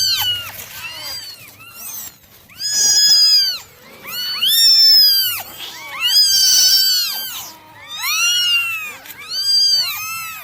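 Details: Nine domestic kittens meowing during a morning drying routine: many high, arched, harmonic mews overlapping in dense bursts roughly every two seconds, with short quieter gaps between clusters.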